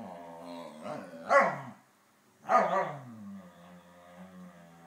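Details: Saluki and Pharaoh Hound chatting with each other: two drawn-out, harmonic, yodel-like vocal bursts with rising and falling pitch, separated by a brief pause, trailing into a low moan.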